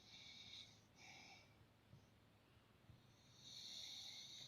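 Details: Dordor the dog asleep and dreaming, snoring softly: three breathy, hissing exhalations with short pauses between them, the last one longest, against a quiet indoor background.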